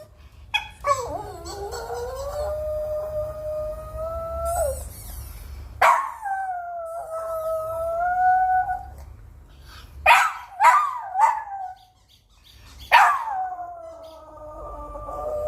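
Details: Dog howling while listening to a toy's sound: long, drawn-out, steady howls with a slight waver, separated by short pauses, mixed with brief high squeaky toy chirps.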